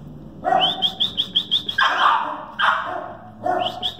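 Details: Male West Highland White Terrier puppy, two and a half months old, giving a run of short, high, squeaky yips in quick succession, then several louder, harsher bark-like yelps with gaps between them.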